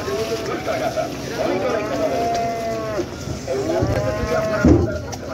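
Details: Cattle lowing at a popular village cattle market while cows are unloaded from the river side; several long harmonic moos rise and fall over steady crowd chatter and background noise.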